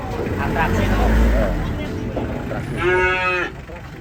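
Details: Cattle unloaded from a truck; after loud rumbling handling noise and voices, one short mooing call lasting under a second rises then falls, followed by quieter background bustle.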